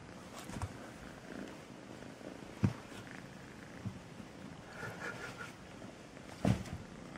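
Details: A sweet kitten named Melissa purring: a low, steady rumble with soft rhythmic pulsing throughout, broken by a few brief sharp clicks or bumps.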